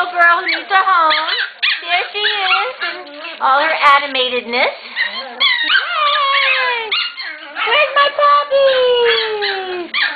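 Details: Excited Shetland Sheepdog puppies from a litter being readied for new homes, playing near their mother indoors: dense overlapping high whines and yelps, many sliding downward or wavering, nearly continuous, with a woman talking to them.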